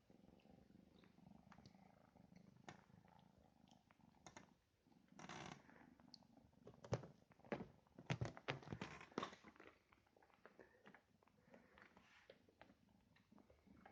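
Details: Domestic British cat purring, a low rhythmic rumbling with steady pulses running throughout, mixed with bursts of rustling, fur or fabric contact noises and clicks in the middle section.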